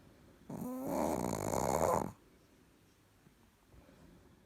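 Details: Sleeping Chihuahua Richard gives one long snore lasting over a second, opening with a thin whistled nasal tone and swelling into a loud, rough, rattling breath, then quiet room.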